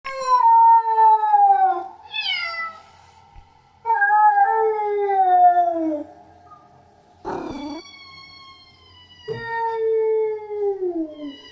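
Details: Female domestic cat in heat giving her mating call: long, drawn-out yowls that slide slowly downward in pitch, each lasting about two seconds, with a short rising cry between them and brief pauses, loud and clear.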